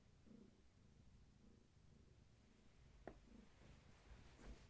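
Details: Low pulsing purr from Gaia, a long-haired tabby cat heavily pregnant with many active kittens, held steady indoors; rhythmic rumbling strokes repeat about once a second, with one sharp tap partway through.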